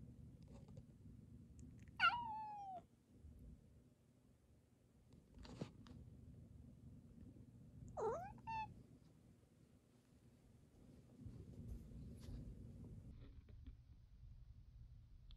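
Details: Second male cat 時雉, very clingy and seeking attention while an older housemate with cat flu is kept apart, gives two short, bright, falling meows about six seconds apart, with a faint click between them over a low steady hum.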